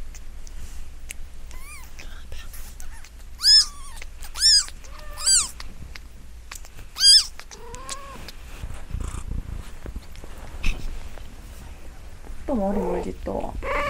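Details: Newborn kitten, five days old and probably Munchkin, made to cry; a run of high arched mews, several loud and close together, then softer falling mews and a few lower, rougher cries, over quiet rustling.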